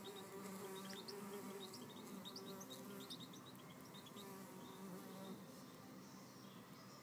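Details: Red mason bees fighting over a nest cavity, pushing, shoving and biting; a low steady wing buzz with a droning overtone, wavering in pitch throughout, while small birds chirp in brief high notes in the background.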